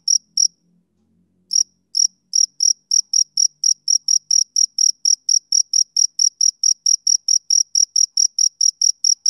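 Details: A male cricket on a summer evening gives two sharp chirps, then pauses about a second before settling into a steady run of high-pitched pulses. A faint low murmur sounds near the start.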